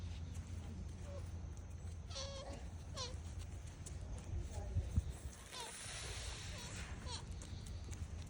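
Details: A male sika deer, a dominant buck in Nara Park, Japan, snuggled up to a person, gives short, nasal bleating squeaks over a heavy low rumble of wind and handling noise.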